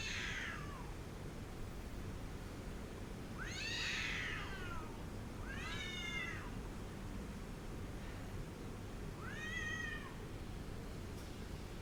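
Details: Angry cat giving loud harmonic yowls, four bent, arching cries spaced roughly every two to three seconds, some strained and rough, with constant low background rumble throughout.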